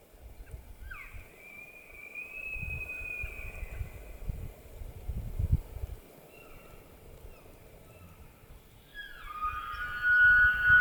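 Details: Elk bugling during the rutting season in the White Mountains of Arizona: a long, high, whistled tone that rises and then holds. A second bugle begins near the end, over a low wind rumble.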